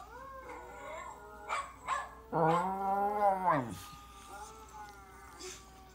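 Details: Two West Highland White Terrier brothers howl together in long, wavering, high-pitched notes that rise and fall.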